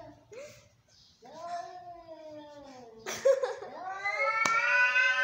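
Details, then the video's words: Domestic cats in an angry fight, giving drawn-out moaning yowls that slide slowly downward, then a sudden harsh outburst and a louder, rising wail with strong harmonics at the end. "Angry cats, cats fighting,sounds of an angry cats"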